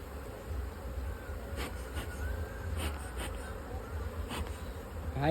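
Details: Honey bees at a modern two-storey beehive kept for honey production, giving a steady low droning hum throughout, with a few faint taps and clicks over it.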